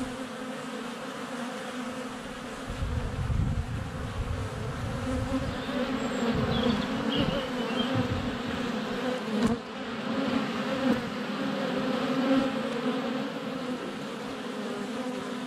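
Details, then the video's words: Honey bees at the hive entrance, GoPro Hero 7 Black under a foot away on a sunny February day; a constant buzzing drone that grows louder as bees pass near, with faint high bird chirps in the background. "Honey Bees - ambient video and audio"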